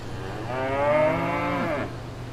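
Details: Single drawn-out cow moo from a farm setting, rising slightly then holding a rich, even tone for over a second before cutting off, with a steady low hum beneath.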